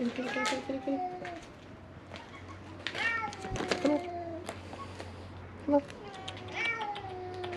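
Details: Hungry feral cats at Mare Island Naval Shipyard in Vallejo, California, crying while hoping for food; overlapping wavering meows, some short and some long, mixed with a person's voice, rustling and a sharp knock.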